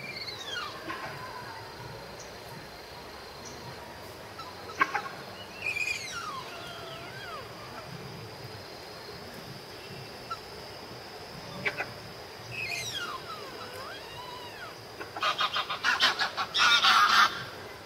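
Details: Malayan tapir mother and calf napping at Tama Zoological Park, Japan, October 2015, making strange breath-like snoring sounds: scattered sweeping, squeal-like whistles rising and falling, then a rapid pulsed burst near the end.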